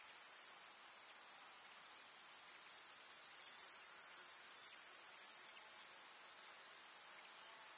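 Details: Summer-meadow grasshoppers in a rural village setting chirp and crackle in one steady high shrill buzz, louder through the middle few seconds, then easing to a softer unbroken drone.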